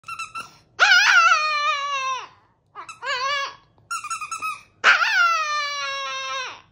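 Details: Chihuahua howling indoors: long sliding high-pitched howls of about one second, each falling slightly at the end, broken by short yips and squeaky whimpers in a small quiet room.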